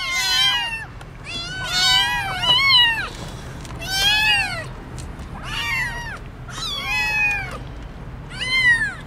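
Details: Several motherless kittens, crying as they think they are headed to the veterinary clinic, give loud, wavering meows in quick succession, about seven arched calls over nine seconds with short gaps, some voices overlapping.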